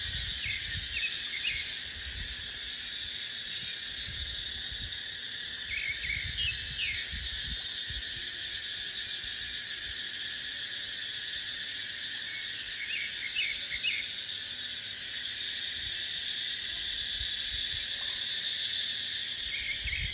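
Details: Dry-season chorus of cicadas in dipterocarp woodland, an unbroken shrill buzzing high overhead, joined by a few brief chirping bird notes and soft wind noise low down.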